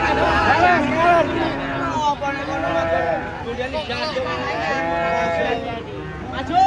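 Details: Large cattle unloaded from a truck: a busy stretch of arching, overlapping lowing calls that rise and fall, mixed with voices and general commotion.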